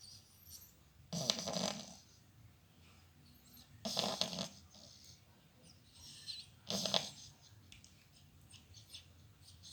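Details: Domestic cat snoring and talking in its sleep indoors: three breathy, raspy snore bursts about every two and a half seconds, each lasting under a second, with faint quiet breathing between.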